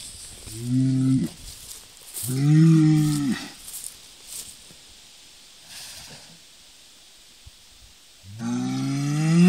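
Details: Highland and Hereford cattle: two deep, drawn-out moos early on, a quiet stretch with faint rustling, then a third long, loud lowing call building at the end.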